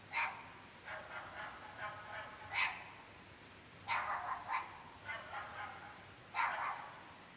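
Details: Night-time barking from dogs in a very remote rural part of the UK, recorded at 11.30 pm: clustered barks, some doubled and some softer in between, repeated roughly every second or two, with no other clear sounds.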